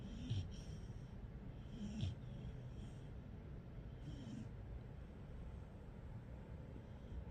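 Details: A sleeping 3-month-old Rottweiler puppy snores softly, with low, rumbling breaths at uneven intervals.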